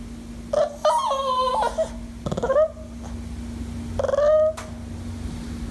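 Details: Dog making funny sounds indoors: loud wavering yowls with rich overtones, three bouts, the last a rising then falling whine, over a steady electrical hum.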